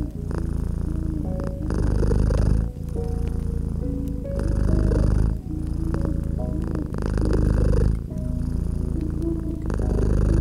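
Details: Cat nestled by a gently crackling fireplace, purring deep and continuous, its low rumble alternating between stronger and softer phases about every second and a half, while light crackling pops and quiet sustained musical notes sit in the background.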